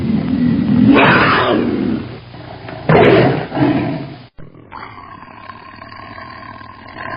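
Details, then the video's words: Tiger roaring: two deep, rough, drawn-out roars in the first four seconds, then an abrupt cut to a quieter, humming background. "Tiger sounds and photos 🐅🐯 Tiger roar"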